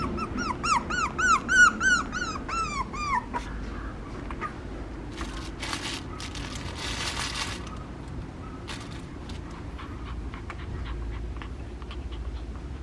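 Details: Papillon puppy whimpering: a quick run of about ten high, arching whines over three seconds, each bending up then down, followed by scattered clatter, bumps and faint indoor noises with no further clear calls.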